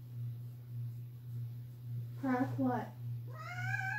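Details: Loud indoor meowing from a pet cat that wants company going downstairs; a person speaks briefly, then the cat gives a rising, drawn-out meow at the end, over a low steady hum.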